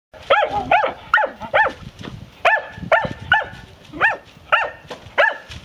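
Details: A Maremma hound during training gives a quick run of high, ringing yelps, two or three each second.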